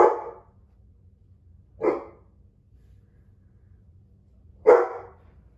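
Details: Dogo Argentino puppies three weeks old, indoors, giving three short sharp yapping barks, spaced irregularly about one to three seconds apart, against a quiet low hum.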